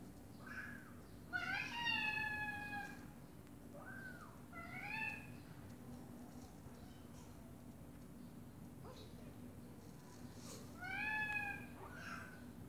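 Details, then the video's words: Mother cat and meowing baby kittens: soft, fairly faint meows in short bursts, some with rising-falling shape, separated by long quiet stretches with low background hum. "Mom Cat Talking to her Meowing Baby Kittens"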